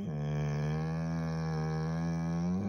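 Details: Nala, a pet dog, cries as her owner prepares to leave for work: one long, steady, low moaning tone held for nearly three seconds, with a woman's voice nearby saying she has to go.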